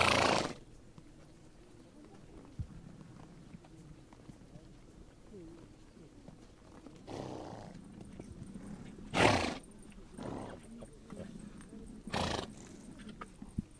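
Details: Grazing horses in the Mongolian steppe let out breathy snorts and nose blows, one at the start and a cluster near nine to twelve seconds, over a quiet low hum with a faint steady high-pitched tone.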